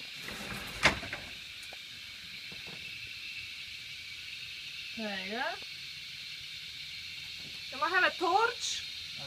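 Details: Cicadas buzz in a constant high drone throughout, with a few short spoken words from people close by and a sharp click near the start.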